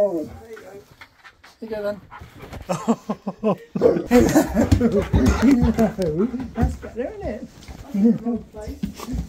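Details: A Siberian Husky arriving outside its best friend's home at Christmas calls to the friend with wavering, sliding howls and yodel-like whines while people talk nearby.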